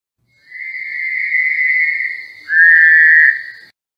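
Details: Fowler's toad from Western North Carolina, whose call mixes a whistle with something else. A nasal, whistle-like drone runs in two sustained parts, the second shorter and louder, with a quiet background.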